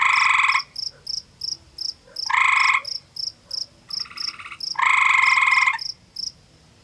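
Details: Gray tree frog male calling from a pondside cave in an Ontario forest, Canada, trading calls with a rival over territory: three loud buzzy pulsed trills, each under a second, with a fainter answering trill between them and constant high insect pulses.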